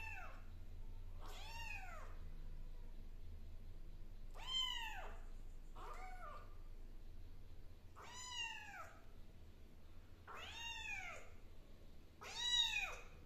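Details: Kitten named Zizi, indoors, giving a series of high, arching meows about every one to two seconds, each rising then falling with a bright harmonic tone; a low steady hum runs underneath throughout.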